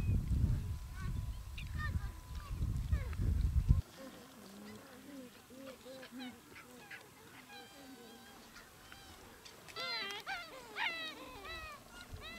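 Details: Gelada baboons in the Simien area of Ethiopia, recorded October–November 2015. Low rumbling wind or handling noise for four seconds, then a busy chorus of short, goose-like, honking and rising harmonic calls overlapping from several animals.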